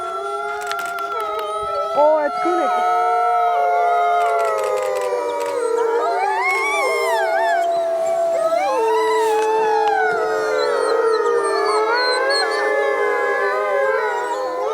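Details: Captive Arctic wolves, about 20 in one enclosure at Omega Park in Montebello, Quebec, howling together as a pack: many overlapping long, wavering tonal howls rising and falling, layered into a dense continuous chorus.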